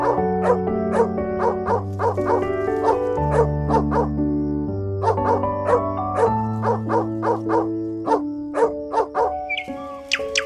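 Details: Dog barking in a quick run of sharp, short barks, roughly two per second, over steady background music.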